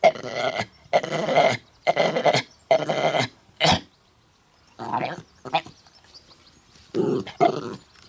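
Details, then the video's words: Coughing dog Mutley, trying to sing at Bredagh, Carrigallen, County Leitrim, on 27 August 2016; four strong rasping coughs in quick succession, a short sharp one, then scattered hoarser bursts. "Funny dog tries to sing, but he suffers from a bad cough."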